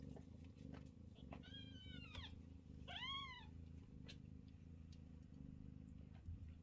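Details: Low, continuous purring as Chloe, a Scottish Fold queen, feeds her jostling kittens indoors; two bright, downward-curving mews from a kitten stand out over the rumble in the first half.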